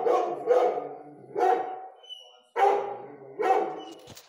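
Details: A Rhodesian Ridgeback dog barking: four deep, rough barks spaced about one second apart, with a short gap in the middle of the run.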